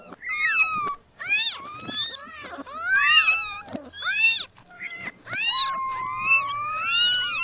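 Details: A crowd of newborn kittens calling at once: dense, overlapping high mews and squeaks, some short and sharp, others long and wavering, almost continuous throughout.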